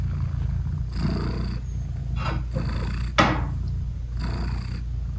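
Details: Nursing British Shorthair mother cat with newborn kittens whose eyes are still closed: deep steady purr with breathy swells roughly each second or so, plus one sharp click partway through.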